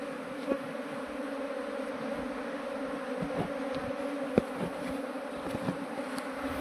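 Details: A continuous buzzing drone rises from a runaway honey bee swarm being transferred into a modern beehive. Scattered clicks and knocks from handling the hive are heard.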